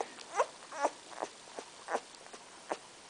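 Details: Two-week-old Bull Terrier puppy named Winston, just over 2 pounds, ears not yet open, from litter CT29, filmed 10 February 2013, giving three short, thin whimpers with a wavering, squeaky tone, mixed with soft clicking and shuffling indoors.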